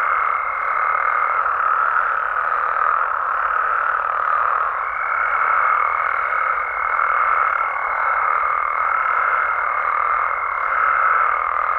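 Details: Frogs and toads calling at night in natural Mexican amphibian habitat: a dense, unbroken chorus of many callers. A thin, steady high tone runs over the mass at the start and again from about five seconds to the end.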